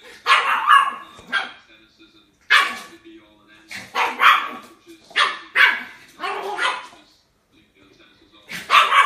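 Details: Puppies barking in short, sharp bursts, about ten barks in loose irregular clusters with brief silent gaps between them.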